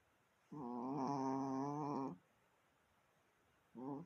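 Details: Strange drawn-out noise from a Chihuahua in a small room, one sustained, level, nasal-sounding tone lasting over a second and a half, followed by the start of another.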